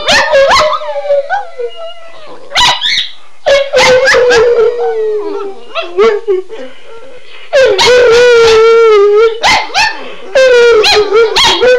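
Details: Two pet dogs, Shelby and Shiloh, howl after their owner says "Run Guy run": long, wavering tones around a steady mid pitch, interrupted by sharp yelping bursts, then a rich, sustained joint howl with yips cutting through near the end.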